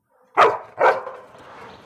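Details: A playful dog lets out two sharp, loud barks about half a second apart. A softer, fading rumble of noise trails behind the second bark.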